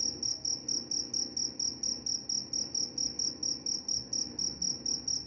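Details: High, ringing cricket chirps in a fast, metronomic series, about three each second, carrying on evenly with little else heard but a faint low hum.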